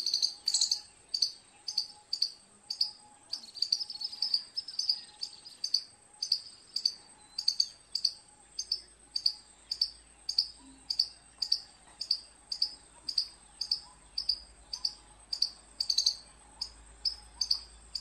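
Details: Long run of squirrel chirps, high and abrupt, repeated roughly twice per second with occasional quicker bursts, accompanied throughout by a thin constant high hum and a faint low steady tone.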